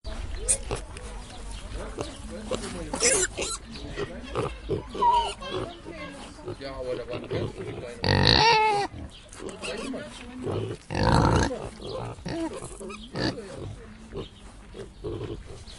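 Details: Pigs at a zoo grunt and give loud harsh squeals over the chatter of people nearby.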